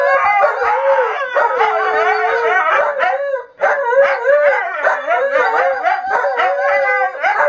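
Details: Two Siberian Huskies kept as sled dogs howl as a group alongside a singing person, wavering drawn-out notes interlaced with short yips, one brief pause midway before the chorus resumes.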